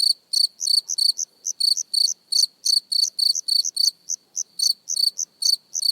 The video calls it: Cricket Chirping Close Up Sound Effect